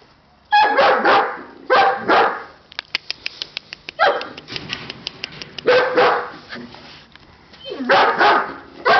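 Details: Siberian Husky puppies barking repeatedly in loud, harsh bursts about every one to two seconds, with a run of sharp clicking taps between barks and some quieter yelps.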